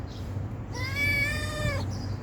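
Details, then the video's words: A stray cat begs for food with one long, drawn-out meow lasting about a second, held level and then dropping slightly as it fades. A steady low rumble sits underneath. "Talking stray cat for begging food"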